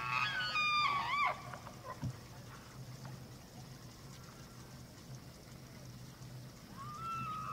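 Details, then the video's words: Evening rut at Slippery Ann, Charles M. Russell National Wildlife Refuge, Montana, 24 September 2024: a bull elk's shrill, wavering whistle with quick upward squeals opens, then quiet, and a fresh rising bugle begins at the close. "Elk Rut at Slippery Ann"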